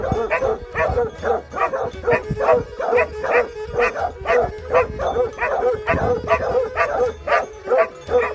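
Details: Hound barking at Georgiadis, Greece, on 20 March 2020, a Plott Hound and a Serbian Tricolor Hound present: a rapid, rhythmic run of rough barks, roughly two a second, with a constant drone beneath.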